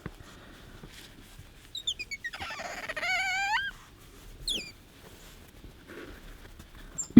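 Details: Pet otter Bingo asking for attention and fawning at an offered hand, giving a run of high, thin squeaks that rise and bend, then a short sharp chirp; quiet room with soft handling noises.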